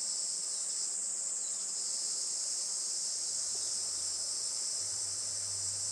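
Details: Cicadas singing on a sunny July morning, 20 July 2024 around 11:30 am, at a traditional farm in Saitama, Japan; constant shrill high buzzing dominates, with a faint low hum entering in the second half.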